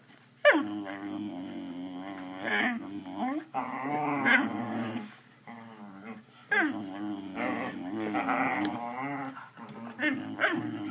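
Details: A pet dog 'talks' to get treats, producing drawn-out grumbling, growly howls in several bursts of two to three seconds, pitch wobbling up and down, with short pauses between, indoors.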